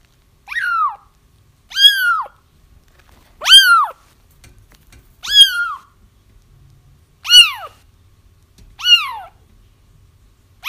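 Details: Kittens crying, meant to draw a feral mother to a trap; six loud, sharply arched mews rise and drop away, spaced irregularly one to two seconds apart against near silence.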